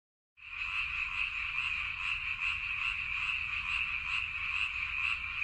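Many frogs call together in an unbroken, high, buzzy chorus that pulses quickly and unevenly. Their voices merge into one continuous wall of sound with no pauses, and no other sounds come through clearly.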